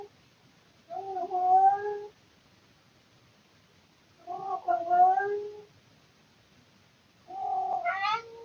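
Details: Indoor male cat making weird noises in the middle of the night out of boredom, recorded by a surveillance camera: three moderately loud, drawn-out yowls about three seconds apart, the last rising sharply at its end, with faint room hiss.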